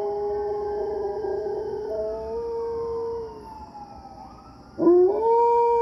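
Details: A German Shepherd howls in long, wavering notes, answering police and fire sirens.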